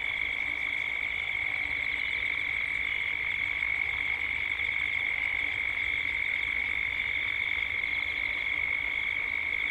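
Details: Cicadas in Gippsland, Australia, at dusk fill the air with a steady, shrill buzzing drone that never breaks, with birds also present as the sound builds toward dusk.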